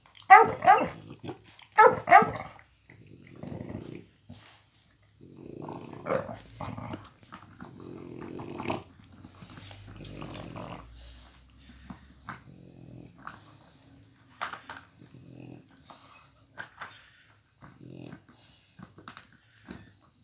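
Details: A one-year-old Miniature Pinscher named Flash is stealing a toy from Hanna, an elderly Pitbull who can move only her neck and head. Sharp noises open the sequence, then a low, steady growl rises and fades over several seconds, with brief indoor scuffling.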